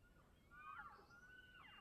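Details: Distant elk running near a road by Telluride, Colorado, give thin, squealing, crying calls that slide up and down like a bird's whistle: two faint wavering notes over soft background hiss.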